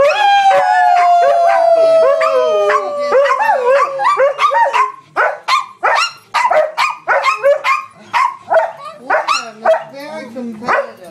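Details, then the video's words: Pet dogs 'singing': a long howl slowly sinks in pitch over several seconds amid wavering yips, then the chorus breaks into a run of short separate yelps, roughly one a second, with quiet gaps between. "Singing dogs!"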